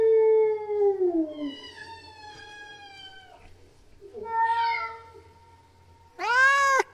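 A female domestic cat in heat yowls in long, moaning tones that slide downward, then hold steady and waver. A final short, arched cry ends the sequence of mating calls.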